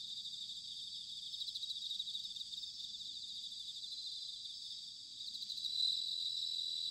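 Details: Bell crickets singing on an autumn night in Sanuki, Chiba Prefecture, Japan: many insects trill together in a continuous high, pulsing wash that grows slightly louder near the end, with a soft low hum underneath.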